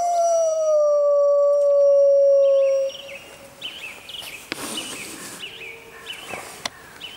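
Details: A single wild grey wolf, recorded in the jungle at full moon, gives one steady, pure howl lasting about three seconds, gently dropping in pitch. Faint high chirps and scattered clicks follow in the quiet background.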